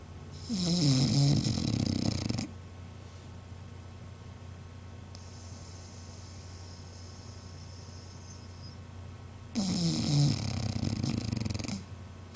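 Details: An English Bulldog snores in two long, rattling breaths separated by a quiet pause, recorded on 28 February 2009.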